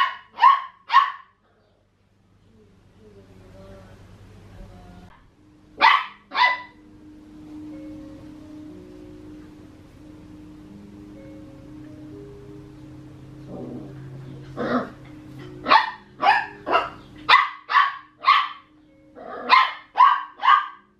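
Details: Playful barking from Max, a 14.5-week-old Papillon puppy eager to play with Tiger the Maine Coon cat: bright yaps in pairs, a quieter stretch with a soft low hum and whines, then rapid strings of barks.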